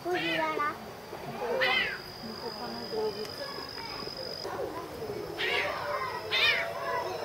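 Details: A captive serval at Tama Zoological Park, Japan, filmed in October 2015, meowing: four loud, arched, slightly hoarse meows at irregular intervals, with a faint steady high tone and quiet visitor chatter behind.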